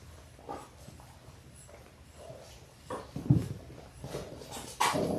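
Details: Six-week-old Labrador Retriever puppies, a litter of six born January 18, 2022, indoors on a live puppy cam. Scattered short whimpers rise to a sharper yelp midway and a louder cry near the end, over a steady room hum.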